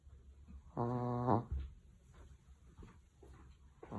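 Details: Sleeping Chihuahua giving one rough, buzzy snore lasting about half a second, followed by soft breathing noises in a quiet room.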